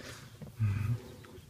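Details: Horses bathing, rolling and playing in the sun: one short, low, rumbling grunt lasting under half a second, deep and steady with faint higher overtones, against quiet outdoor rustling.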